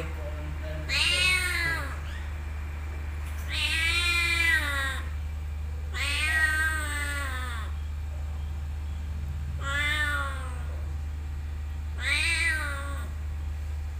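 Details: Domestic cat in a motorbike parking area giving five plaintive meows roughly every two to three seconds, each a wavering, falling cry, with a constant low-pitched drone underneath.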